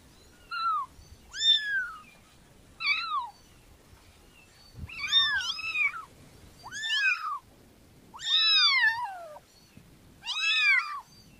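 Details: Kitten meowing repeatedly: seven bright, high meows, each a short rising-then-falling wail with clear harmonics, spaced about one to two seconds apart, some longer and drawn out, over quiet low background rumble.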